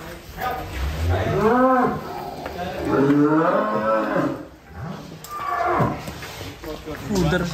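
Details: Cattle raging while being loaded onto a truck, giving several loud, drawn-out moos with arching, rising-then-falling pitch, one at a time with short gaps. Faint human voices can be heard in the background.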